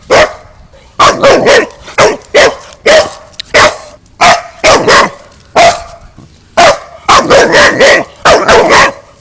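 Deep, forceful barks from a Boxer dog come in rapid clusters of two to four, separated by brief pauses. Each bark is abrupt and hoarse, with little else audible between them.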